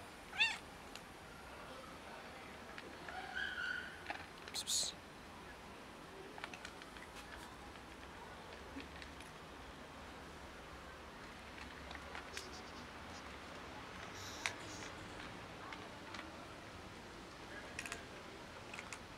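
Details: Short, quiet meows from a cat in a neighborhood stray family that locals feed every day, said not to have enough food. The calls come early, followed by long near-silent stretches broken by light clicks and taps.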